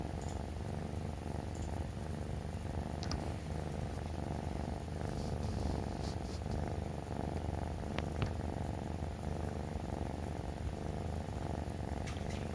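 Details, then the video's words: Rui-kun, a rescued three-month-old male tabby cat, purrs while rubbing against his owner each morning until his food is ready. The steady, low rumbling purr continues throughout, with a few faint soft clicks and rustles above it. "キジトラ るいくん♂ #05 すりすり ごろごろ が超かわいすぎた！"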